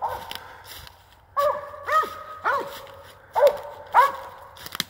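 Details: Treeing dog sounding off at a squirrel it has run up a tree, five strong bawling barks roughly every half second to second, each a bent, ringing note dropping in pitch, little else heard.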